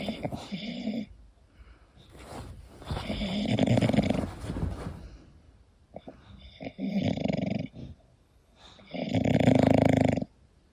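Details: English Bulldog sleeping indoors, snoring in long rasping breaths, four loud snores spaced about two to three seconds apart with quieter breathing between.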